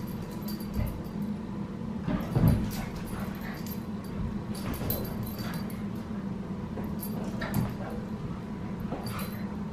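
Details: Australian Cattle Dog puppy named Sully in a weekend play session with the household's other dogs, the girls; short yips and whimpers surface over constant low hum and scuffling, with one louder burst near the middle.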